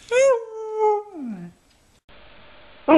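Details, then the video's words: Dog 'talking' in a compilation of snow dogs: a short, bright, wavering howl that rises then slides downward over about a second and a half, followed by quiet room hiss and the start of another sound. "The best talking dogs compilation"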